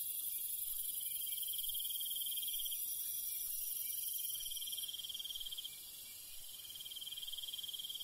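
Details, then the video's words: Crickets calling at night in the countryside: a dense, steady high trill of rapid pulses with a brighter shimmering hiss above it. The chorus dips slightly in loudness around the sixth second, then returns. "밤벌레 소리 ASMR - 귀뚜라미소리(반딧불이 영상), Countryside night bug sound ASMR - cricket sound"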